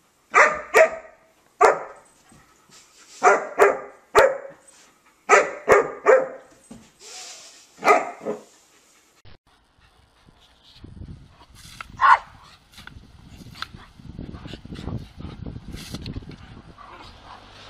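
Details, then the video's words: German Shepherd, possibly named Kate, playing with a stick: loud sharp barks in short bursts of two or three over about eight seconds, then quieter rustling and handling noise with a faint yelp. "Funny German Shepherd"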